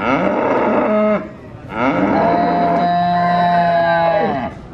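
A cow gives two long, loud moos, the second drawn out and steady before trailing off.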